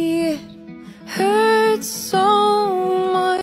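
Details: Sung melody with steady held notes over soft instrumental backing; no animal sound.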